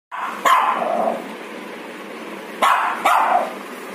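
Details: Shih Tzu puppy being groomed at home, giving three sharp barks: one single bark early on, then two more close together near the end, with a steady low background hum between them.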